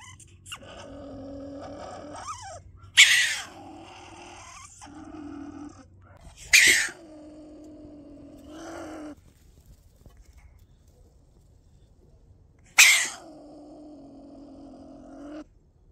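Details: Stone marten heard up close, uttering a series of harsh, explosive screams, each followed by a lower, droning, growl-like moan that holds for a couple of seconds, with short silent gaps between bouts.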